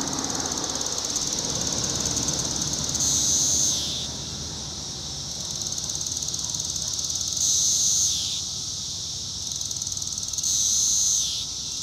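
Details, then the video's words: Brood IV Cassin's periodical cicada with a defective upswept wing, Kansas park, early June 2015, producing tymbal song: three intense high buzzes roughly every four seconds, each closing with a falling slur, against a continuous shrill chorus backdrop. "Magicicada cassini tymbal vibration (periodical cicada)"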